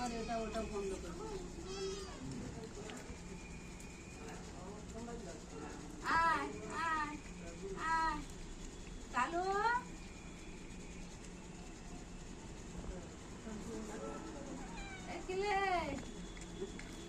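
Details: Household pet cat giving a series of rising-falling meows near 6, 8, 9 and 15 seconds, mixed with steady human speech and children's voices.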